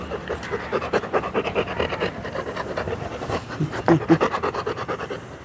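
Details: Labrador Retriever panting hard in even, raspy bursts, roughly four per second, close to the microphone with a few louder puffs near the end.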